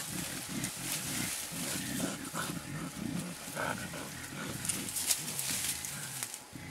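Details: Two wild mountain gorillas, an adult blackback and a 2.5-year-old, at play in Virunga National Park's Bukima area, Congo, in April 2007, giving dense low pulsed grunts and breathy huffs amid insect-like hiss and rustling.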